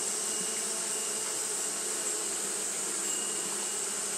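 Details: Japanese honey bees fanning nonstop on a hot day, a steady droning hum with low tonal bands under a constant bright hiss, no other voices.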